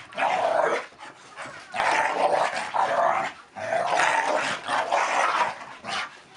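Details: Staffordshire Bull Terrier and Collie cross, pet dogs aged five and nearly three, boxing on their back legs in rough play; continuous snarly growling in long loud bursts of one to two seconds with short gaps.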